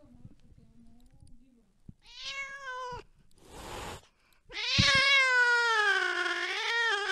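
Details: Cat chasing a mouse deep in the night, heard after some quiet low scuffling. A short meow is followed by a brief noisy hiss-like burst, then a long, drawn-out wailing meow lasting over two seconds.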